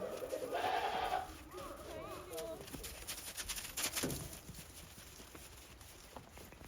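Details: Goats on a Japanese farm, 28 December 2023, timidly treading snow after a heavy snowfall; one strong wavering bleat at the start, then quieter voices and shuffling noises.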